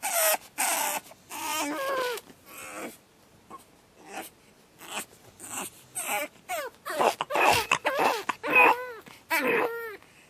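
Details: Pug puppy named Batman on his second night, screaming and whimpering: short high yelps and shrill rising-falling cries repeated irregularly, louder and denser in the second half, with short silences between bursts.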